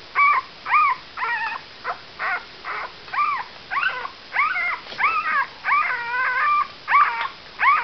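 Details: Newborn pups, eight days old, whimpering continuously: a rapid string of short arched whines and yelps, nearly two per second for eight seconds, some notes wobbling at a steady pitch.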